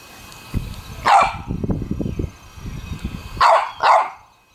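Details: Pet puppy playing in a water pool, giving three short sharp barks, one early and a quick pair near the end, with splashing and low thumping sounds in between.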